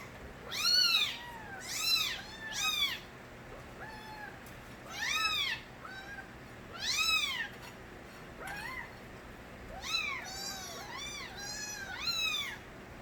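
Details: Young kittens from a street cat called Nabi cry loudly, with many short arched mews in clustered bursts, several voices overlapping, some high and piercing, others softer, across thirteen seconds with short quiet gaps.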